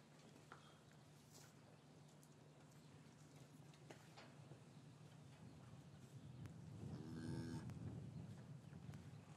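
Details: Cattle in a traditional English farm yard on a winter afternoon, calves separated from their mothers, recorded with a matched pair of Rode M5 microphones; a single drawn-out low moo swells late in the clip over steady low hum and scattered rustling and knocks.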